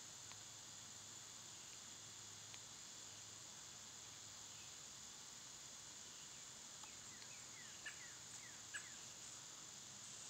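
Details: Summer cicadas keep up a continuous shrill hiss. In the second half a small bird adds quick, faint, slurred chirps, with a couple of soft taps.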